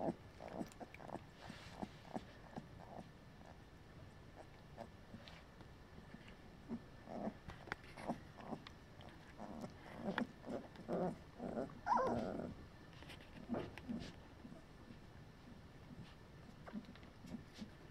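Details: Collie puppies of litter F in their third week, from the Flörsbachtal kennel, giving soft, short squeaky yelps and grunts in irregular overlapping bursts, louder around the middle, with a quiet background hum.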